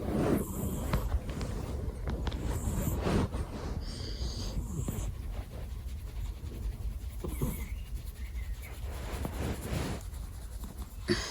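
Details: Sleeping domestic cat snoring loudly right beside the listener's ears: a steady, rough, low rumble of breathing continues throughout, with a few soft rustles and clicks.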